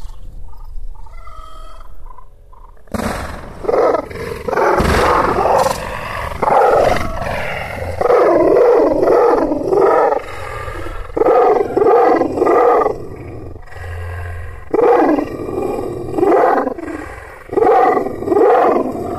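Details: Aksaray Malaklı Kangal shepherd dog, called an Anatolian lion and described as wild, fierce and angry, barking and growling. After three quiet seconds, loud, harsh voiced bursts come in rapid clusters of several per second, separated by short pauses.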